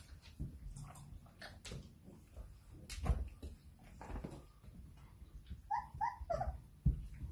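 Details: Irish Setter puppy at play time after dinner, indoors, giving a cluster of short, high, squeaky whimpers near the end amid soft thumps and rustling of play, with a few scattered knocks earlier.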